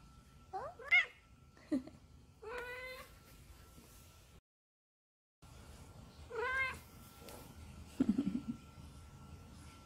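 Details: Odd-eyed, short-legged, neutered female Munchkin cat indoors, meowing to call its owner to play: several short nasal meows rising then falling, rich in overtones, with a person talking softly and a faint steady hum.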